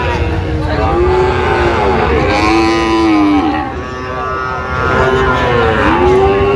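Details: Market cattle, Sahiwal bull calves for sale in Chattogram, Bangladesh, late January 2026, give overlapping long lowing calls that arch up and down in pitch, one after another, with crowd chatter throughout.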